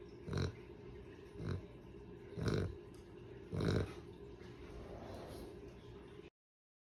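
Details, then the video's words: A dog asleep, snorting and snoring in four rough, grunting bursts about once per second, low and noisy like a pig's oink, then fading into soft breathy sound before ending. "Zzzzzzzzz #dog #sleep #sleeping #snorting #snoring"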